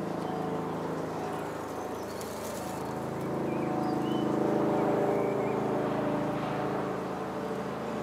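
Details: Red-tailed bumblebee working a flowering California lilac shrub: continuous low, humming drone with layered overtones, growing slightly louder partway through, while distant birds chirp thinly above.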